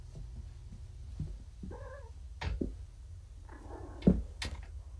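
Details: Recently neutered kittens, found abandoned in a roadside box, hungry and groggy on painkillers, indoors. Two short, wavering harmonic meows stand out, with soft thumps and sharp clicks of movement in a small room between them.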